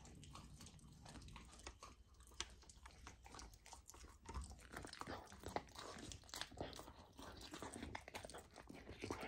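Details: Golden retriever puppy Lilo eats raw lamb for the first time. Moist crunching and biting grow louder and busier midway, with sharp snaps between squelchy chews.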